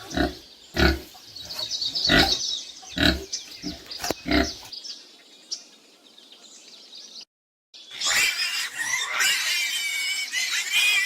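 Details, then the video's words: Pig: a run of dull, low thudding knocks with faint high squeaks, a short pause, then loud shrill squealing, harsh and wavering, sustained to the end. "funny sounds of animals|| pig"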